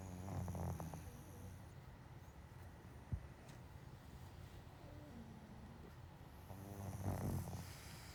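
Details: Pug snoring while asleep during a daytime nap, with no background music added; low rumbling, rapidly repeated snores, loudest in the opening second and again near the end, softer and steadier through the middle.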